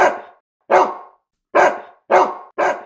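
A domestic dog gives five loud, harsh barks in quick, slightly uneven succession.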